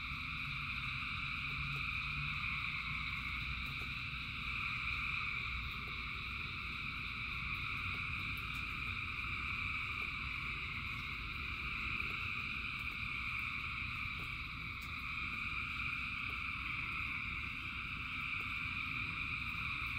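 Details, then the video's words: Rainy night ambience of thousands of frogs singing: layered, unchanging trilling bands hold for the full stretch, slightly swelling and easing, over a broad low wash of rain and a few sharp drips. "Frogs in Rain 2 Hours of Frogs, Thousands of Frogs Singing"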